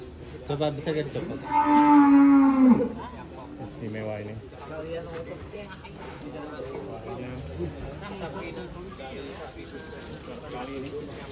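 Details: Belgian Blue cattle at a cattle contest at Bintang Tani Farm: one loud, drawn-out moo lasting about a second, held steady and then dropping at the end, followed by crowd chatter and background voices.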